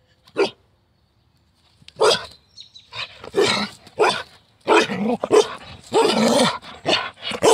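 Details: Carolina dog, also called American dingo, during free-style morning play: one sharp bark, a pause, then a rapid run of harsh barks and growly yelps, loud and broadband, some dropping into low rumbling tones.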